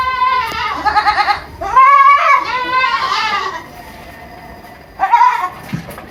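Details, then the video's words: Kid goats on a farm in Purwokerto, Indonesia, calling with loud, trembling, rising-and-falling bleats, several in quick succession, then a pause and one more short bleat. "Best goat sound in the world 2023 - Goat Makes Weirdest Noises"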